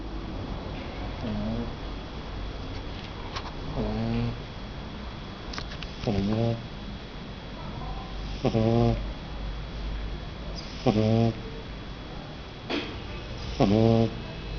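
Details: Thor, a 49-day-old Shar Pei puppy, snoring; he sometimes snores even while awake. Low, buzzy, nasal snorts with stacked harmonics come roughly every two to two and a half seconds, six clear rasps over steady background hum.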